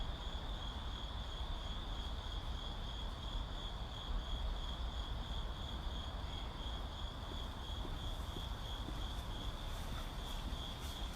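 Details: Crickets calling in a city, a steady high-pitched continuous trill holding one tone throughout, over a constant low rumble of traffic and vehicles.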